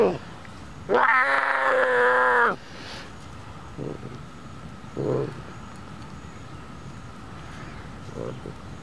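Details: Two-month-old female Golden Bengal tiger cub, not a pet, lying in a sand hole in the shade on a warm summer day, calling for attention: one drawn-out, harmonic, mewing cry of about 1.5 seconds, then a few faint short sounds.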